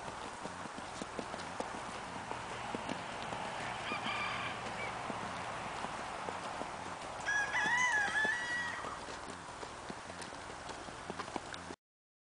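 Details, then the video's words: Tennessee Walking Horse in a natural rocking chair canter: soft, steady hoofbeats thud in a regular rolling rhythm under wind-like background noise. A rooster crows briefly midway. "Rocking chair canter on a Tennessee Walking Horse!"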